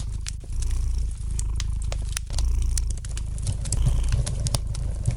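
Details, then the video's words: Domestic cat purring gently beside a fireplace, a low continuous rumble with swelling breath phases roughly every one to two seconds, overlaid by sharp scattered clicks and pops of a lightly crackling fire. "Relax to the gentle purring of the cat and the light crackling of the fire in the fireplace!"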